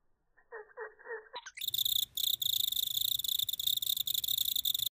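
A cricket's chirping, slowed into low pulsing tones at first, then a shrill, rapid, buzzing trill.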